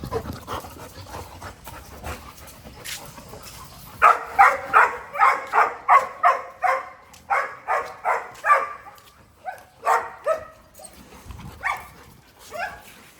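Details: Playful retriever, a family dog, panting heavily in a steady run of rhythmic breathy bursts, nearly three per second, that slows and breaks up toward the end.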